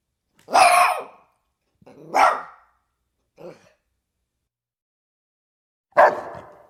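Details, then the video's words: Dog barks: a few loud, harsh single barks with gaps, one softer bark in between, and a long pause before the last. "som de cachorro"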